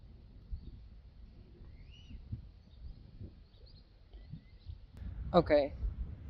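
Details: Friesian horse giving a brief quavering whinny, about half a second of wavering harmonics that drop near the end, after quiet low rumbling and soft background noise.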